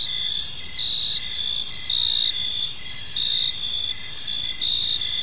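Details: Crickets chirping on an evening in a peaceful park, a dense high-pitched chorus of steady trills with a pulsed lower chirp repeating about every half second, over a soft low background hum.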